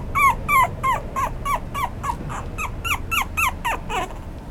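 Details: Male apricot toy poodle puppy yelping insistently: quick, high, falling whimper-yelps repeated about three times a second without a break, each sharp and bright, over low indoor room noise.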